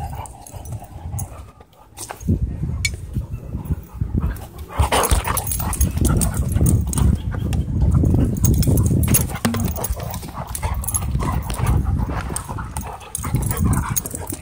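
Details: At a dog park, two dogs test battle skills in a play fight, giving a long, building stretch of deep, rumbling growls and snarls. A loud, steady roar of guttural noise runs through the middle seconds.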